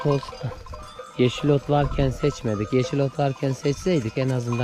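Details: Lambs of the Akkaraman breed, just separated from their ewes, call for their mothers with rapid, regular bleats, about four a second, each short and shaky, several lambs overlapping with some speech behind.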